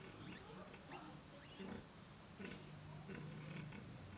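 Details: Sow with fourteen piglets at feeding time: low grunts and short tonal squeals, with rustling and snuffling in between.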